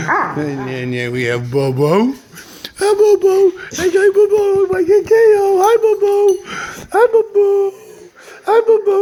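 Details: Household dog, one of the pair Lady and Beau, 'talking' inside: a low rising moan gives way to a long series of sustained wavering whine-howls with brief sharp yelps, while a person speaks now and then.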